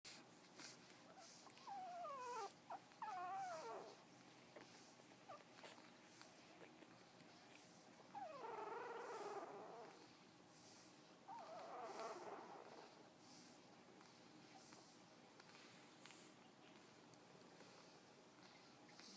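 A sleeping Frenchton puppy gives soft wavering whimpers and squeaky little grunts.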